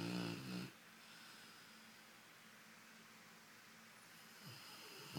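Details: A Golden Retriever snores lazily on a Sunday with a low, rattling rasp, then falls quiet before breathing in again.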